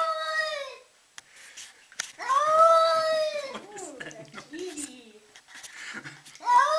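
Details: A cat freaking out, giving a drawn-out, arching yowl of over a second with rich harmonics, preceded by a shorter wail and followed by softer mutters, in a small indoor room.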